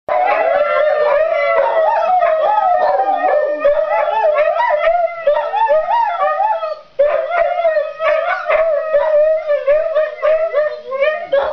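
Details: Several Siberian Huskies howling together indoors in greeting, a sustained chorus of wavering, overlapping tones that slide up and down, nearly continuous, with a brief break before the group resumes, voices layering into a rich harmonic wail.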